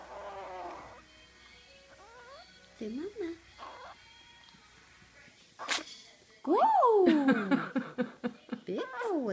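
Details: A tiny 1 lb 4 oz Boston Terrier puppy, sick with an upper respiratory illness, gives drawn-out, sliding whines and yowls while a person coaxes it to say "Mama".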